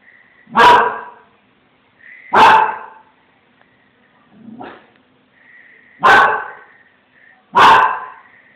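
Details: Small Münsterländer named Branco barking after seeing a cat: four loud, broad harsh barks spaced about one and a half seconds apart, with a softer low grumble between them and faint whining tones leading into each bark.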